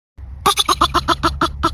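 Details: A groundhog (woodchuck, Marmota monax) of North American lowlands gives a quick series of about eight harsh, squealing calls, apparently after calling so long its voice has gone hoarse.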